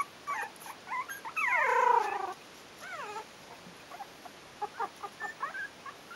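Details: Four-week-old Yorkshire terrier puppies from a litter whimper and whine. Thin, tonal cries bend up and down, with one longer, louder wavering whine in the middle. Shorter squeaks come before and after it in a quiet setting.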